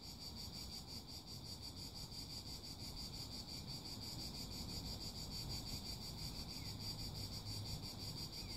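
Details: Continuous cicada chorus: high, shrill buzzing that throbs in regular pulses roughly three per second, sustained throughout, with a steady low-pitched rumble beneath.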